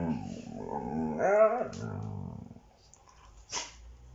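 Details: Bear-like growling from a Siberian Husky during play-fighting with a child indoors, a low rumbling growl swelling into a higher wavering grumble, then fading, followed by a brief rustle or breath.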